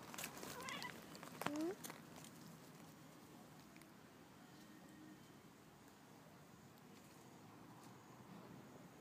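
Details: A tabby cat outdoors after a long time indoors, apparently vocal from enjoyment, gives a short meow sliding upward in pitch, with a few softer chirpy sounds just before; the rest is steady, low outdoor ambience.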